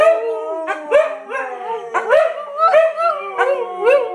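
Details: A group of Siberian Huskies in a howling chorus: a steady sustained tone held throughout while other dogs add short rising, bending yowls roughly every half second.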